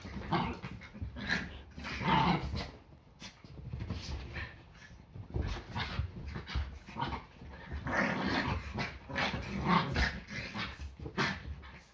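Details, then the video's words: Yorkshire Terrier play fighting on a Sunday morning, fighting first and eating breakfast afterwards; bursts of throaty, rumbling growls repeat every second or two, with sharper snarls and scuffling between them. "Yorkie ein ganz normaler Sonntag. Ein Tag beginnt immer mit mehreren Kämpfen"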